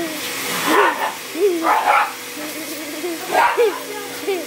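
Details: Pet dog barking at a running vacuum cleaner indoors: short arching, slightly whiny barks in quick bursts, roughly four groups over a few seconds, over a steady mechanical hum.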